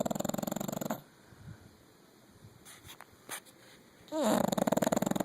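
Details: A 9-year-old female English Bulldog snores loudly, a coarse rattling vibration in long bursts separated by quiet breaths.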